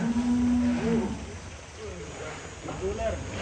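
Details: A big cow that people warn is chasing them lets out a steady, low, droning moo for about a second. Shorter faint tonal calls follow beneath outdoor background noise and voices.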